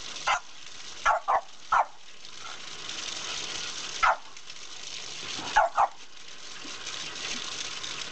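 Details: French Bulldog foster dog Margo, a female who loves playing with a water spout, barks in bursts: three quick barks early, one near four seconds and a double near the end, with continuous water spray roaring behind.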